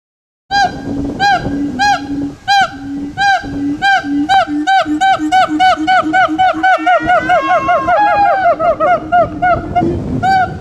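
Siamangs sing loud, resonant hooting barks that repeat in a steady rhythm and then quicken into rising whoops.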